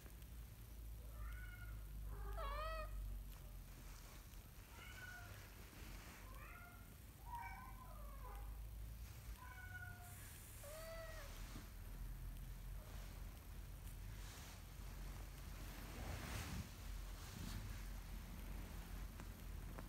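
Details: Kitten that is learning to walk, calling in a quick run of high, wavering mews early on, then a few spaced cries that fade out, with low room rumble and soft rustling.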